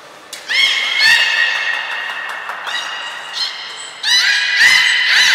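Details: Squealing, rising harmonic whistles come in two bursts, around one second and again after four seconds, from belugas Hodoi, Taanya and Mirai training at Port of Nagoya Public Aquarium on 1 November 2020, with softer chirps between.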